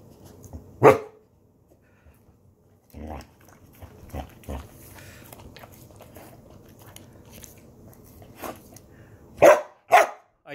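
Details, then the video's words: Samoyed dog grumbling for beer indoors: one short gruff bark early, scattered soft mutters and knocks, then two louder barks close together near the end. "Samoyed looooves beer. make sure you turn your volume up, he grumbles"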